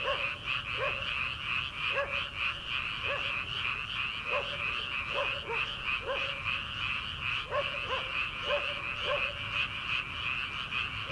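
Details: Rice-paddy frogs in early summer before planting, calling at night: a thick, fast, high croaking chorus with frequent short, lower, arching calls repeating roughly every second across the recording.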